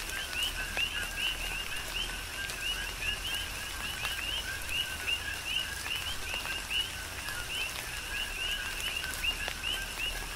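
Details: Chorus of coqui frogs in tropical rain, Big Island, Hawaii. Many overlapping two-part calls, each a short low tone followed by an upswept higher whistle, repeat without pause over steady rain hiss and scattered sharp drip ticks.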